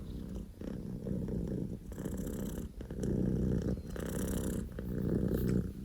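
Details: Poko J, a male Scottish Fold kitten born 15 October 2019, purring like an engine at full throttle; low rattling rumble that swells louder after three seconds, with soft rustling noises.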